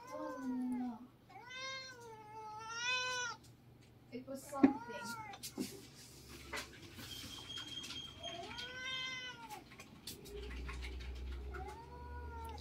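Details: Siamese cats wrestling noisily in a Filipino household: long drawn-out yowls that rise and fall in arcs, two close together early on and another later, with a sharp knock and people talking in between.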